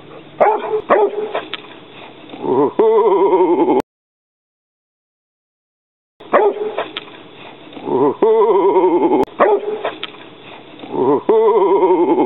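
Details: Young Rhodesian Ridgeback dog facing off with an alligator snapping turtle, rapid barks run into drawn-out whining, yelping calls with wavering pitch, bursts broken by a short silent gap.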